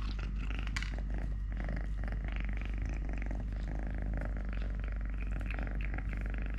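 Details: Three-legged pet cat Totoshka purring loudly and steadily, a dense low rumble with rhythmic pulsing and some higher breathy texture on top, no pauses across the clip.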